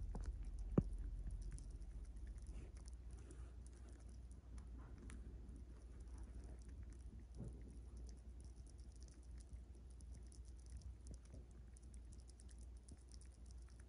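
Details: Ron, a pet chipmunk, stuffing his cheeks too much, with soft, rapid crunching and ticking chewing sounds that run steadily throughout over a low background hum, and one sharp click near the start.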